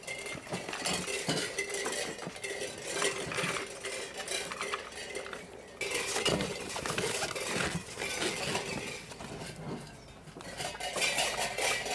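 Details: Cutlery and dishes clink and rattle indoors, with no animal voice heard.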